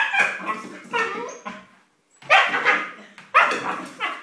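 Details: Siberian Husky puppy, a female, barks while playfully chasing her food and water bowl indoors: sharp, high, rasping yaps in three clustered bursts separated by short pauses, with a faint voice in the background.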